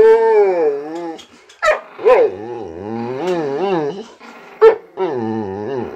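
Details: Little Chihuahua growling at the much bigger Boxer Rex during a home visit, keeping him back as he tries to play: loud, wavering growls that swoop up and down, broken by short sharp yips or barks.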